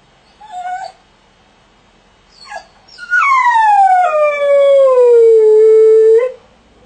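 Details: A dog confined in a crate gives a short yip and a faint whine, then a long, smooth howl that falls gradually and levels off for about three seconds.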